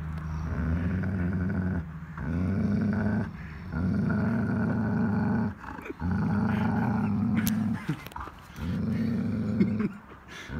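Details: German Shepherd growling at a large Pitbull in a jealous tug-of-war over a shared toy between two dogs who are best friends; deep rumbling growls in five long bouts of one to two seconds with brief pauses between, a man speaking softly.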